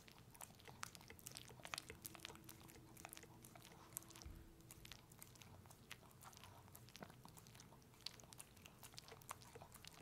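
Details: Peanut butter eating by Pepe, a puppy: crisp lip smacks and tongue clicks come in bursts, some louder pops near two and eight seconds, while a faint hum drones beneath.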